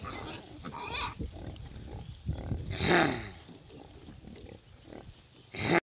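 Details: Piglets, hundreds of them on a farm, playing and exploring. Low grunting throughout with shrill squeals bursting out near one second, three seconds and at the very end, over a busy background of many animals.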